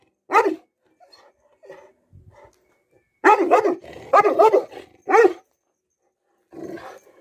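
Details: Cane Corso barking during an attack demonstration: deep, forceful single barks, then a burst of three or four rapid harsh barks, a final loud bark and a low rumbling growl.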